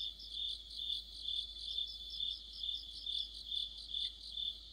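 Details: Night insects led by crickets sing in mid-autumn near a streetlight, their shrill, ringing trill rising and falling in regular beats about twice a second, layered voices overlapping.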